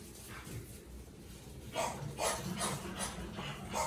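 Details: Puppies 45 days old, a litter from Vera, at home; short high yips and barks come in a quick run in the second half after a quiet start, with household rustling beneath.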